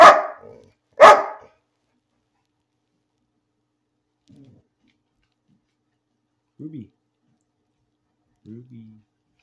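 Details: A house dog barks for no reason, giving two quick, harsh barks in the first two seconds, followed by near silence with faint, brief murmurs.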